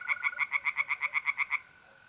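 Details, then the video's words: A single tree frog calls from a pond on an April night in north-east Italy, a brisk series of about twelve sharp pulsed croaks over one and a half seconds, then stops, leaving the continuous trill of mole crickets. "relaxing singing tree frogs in pond and trilling mole crickets by night"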